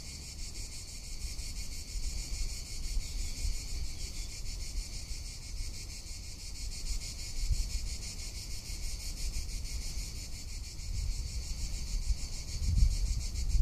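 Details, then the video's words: Summer cicada chorus in Tuscany, a steady shrill buzz pulsing rapidly without pause, with wind rumble underneath that swells toward the end. "Cicada or Cigarra - Sounds of summer in Tuscany"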